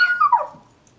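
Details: Indoor pet dogs, Gizmo, a black and white Shih-tzu/Maltese, and Kodi, a black and brown Yorkie/Maltese, greeting at the door, with Kodi upset at being ignored. A single high whine slides downward in pitch over half a second, then fades.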